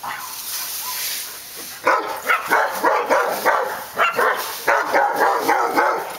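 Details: Several dogs barking on Park Drive; after a quieter opening, sharp barks come thick and fast, overlapping in quick bursts of several per second, over a steady background hiss.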